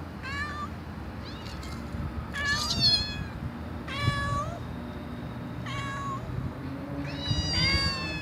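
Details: Pet cat meowing repeatedly, about five drawn-out calls with rich harmonics, some rising then falling, spaced one to two seconds apart over a steady low hum.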